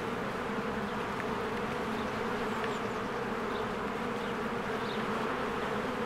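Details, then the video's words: A busy beehive in spring, with many bees flying in and out. Their wingbeats blend into an even, thick droning hum, while a few soft, brief bird chirps flick by in the background. "1 Hour of a Beehive ASMR"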